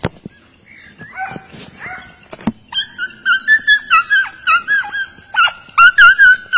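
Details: Hunting dogs giving tongue as a hare breaks cover during a hare hunt in Turkey: after a quiet start with scattered sounds, high yelping barks come in quick bursts, several dogs overlapping in a loud, urgent chorus.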